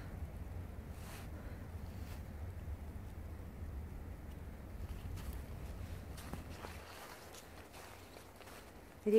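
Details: Quiet outdoor scene in the countryside, with people talking and footsteps, over a low steady rumble and no animal voice.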